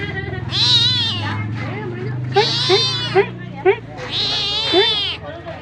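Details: Cat asking for food, giving three drawn-out, bright meows. Short, clipped chirping calls repeat in the gaps between them.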